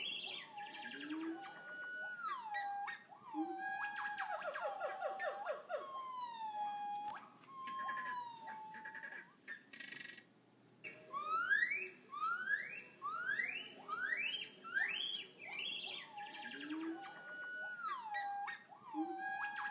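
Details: A one-year-old yellow-cheeked gibbon at a zoo, born 26 July 2017, sings loud, sliding whoops and a quickening series of rising, siren-like notes.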